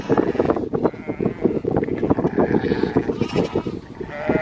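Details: Flock of sheep with two-week-old lambs herded by Border Collies and a Kelpie, one wavering bleat late in the clip over a dense bed of hoof and body noise, with brief Dutch speech.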